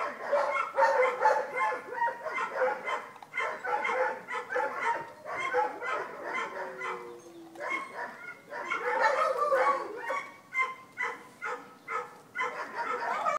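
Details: Vizsla puppies at Wey Farm Kennels, a chorus of overlapping high yips, squeaks and whines, rapid and irregular throughout, with one longer whimper sliding downward near the middle.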